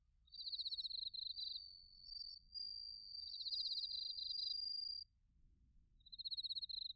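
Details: Crickets, including bell crickets, sing in autumn at Narita, Chiba, Japan, on a TASCAM Portacapture X8 recording: a long high ringing phrase mixed with pulsed trills runs nearly five seconds, then a fresh pulsed burst begins.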